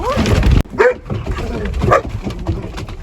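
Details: German Shepherd puppies in a vocal pack at play, among them Dodger and Arial; short, high whimpering yelps with quick rising and bending tones break through a woman's voice chatting to the dogs.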